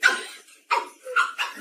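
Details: Dog giving four short, sharp barks or yips in quick succession over under two seconds, each burst bright and broadband with a strong tone near the middle of its range, amid a lively home setting.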